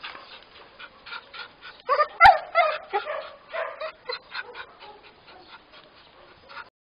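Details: Border Collie mix in an Elizabethan collar at a shelter in Roquetas de Mar, Almería, gives rapid whimpering yips, about three per second, loudest in the middle, with one sharp click.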